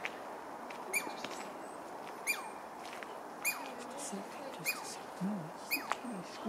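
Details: Douglas squirrel at UBC giving five sharp, squeaky calls, each a brief high whistled note with a clicky edge, spaced a little over a second apart; quiet human voices murmur in the background.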